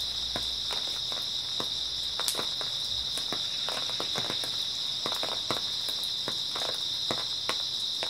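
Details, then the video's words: Night insect chorus from grass insects in early autumn, a flat continuous high whine, with irregular crunching clicks and a brief low thump early on. "초가을 밤부터 새벽까지 백색소음 풀벌레 소리"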